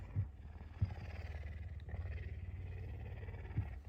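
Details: Loud morning purring from a hungry pet puma that is nudging its owner and asking to be fed. It makes an even, low rhythmic rumble with a few soft thumps, while a woman speaks quietly.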